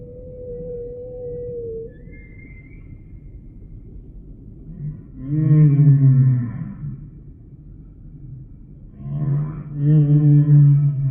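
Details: A humpback whale sings a mid-pitched tonal moan that slides downward, then a brief high squeal, then two loud, deep, harmonic groans with upswept overtones.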